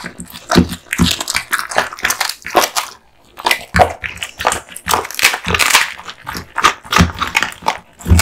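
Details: Kotetsu, a male American Bully (Pit Bull) born in 2016, crunching and biting duck spine jerky indoors; irregular wet crunches and snaps in quick bursts, with a brief pause near three seconds, close and loud.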